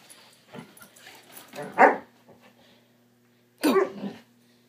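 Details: A Swiss Mountain Dog pup mid "bad dog run" at home gives two short, rough barks about two seconds apart, with soft scuffling and faint background noise between them.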